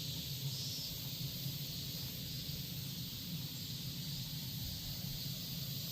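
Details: Korean cicadas sing as a steady, unbroken high hiss that holds level throughout, with a low rumble underneath and faint brief whistles near the top.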